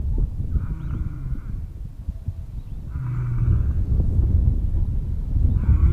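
A lion gives deep, rumbling roars, repeated every couple of seconds, as a warning to enemies.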